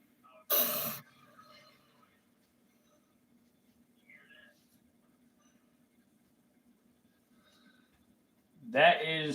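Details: Juvenile female gaboon viper in captivity, a very vocal snake, huffing as a warning much as a rattlesnake rattles; one short loud breathy burst of hiss near the start, then quiet, with a person's voice at the end.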